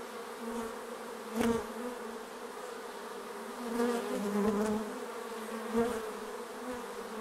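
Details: Many bees around their hive make a continuous humming drone, with individual insects swelling louder as they pass near, one close fly-by early and several softer ones later.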